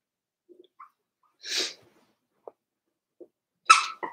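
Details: Four-week-old Cavalier King Charles Spaniel puppies of Daisy's litter in an indoor puppy pen: a short breathy sneeze-like burst, a few soft snuffles and clicks, then a sharper snort with a brief tonal squeak near the end.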